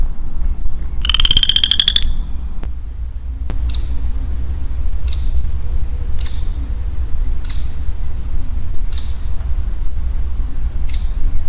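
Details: Lonely male Western Chorus Frog in early spring woodland gives one pulsed, buzzy trill lasting about a second. Soft high ticks follow, repeating every second or so, over a steady low rumble.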